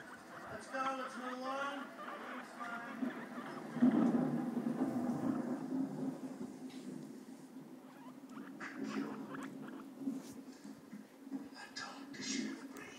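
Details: Pet guinea pig playing on a home couch used as its playpen: a quick series of stacked, chattering squeaks early on, then a steady low hum with soft patter and rustling, and faint human voices.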